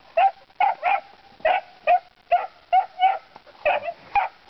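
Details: Puppies around three to four months old barking at pigs while learning to bay hogs: steady bursts of shrill yelps, often in quick pairs, roughly two or more each second.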